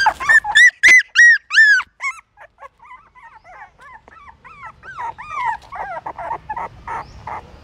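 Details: Newborn pups at a pagoda in Siem Reap, Cambodia, trying to suckle their mother's milk: a few loud, clear arching whines open, then softer, quicker squeaks and whimpers continue in a steady patter.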